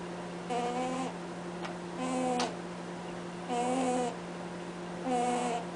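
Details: Sleeping pet rabbit named Cadbury honking as it snores: four nasal, tonal honks with stacked overtones, each about half a second long and spaced roughly every one and a half seconds, over a steady low electrical hum.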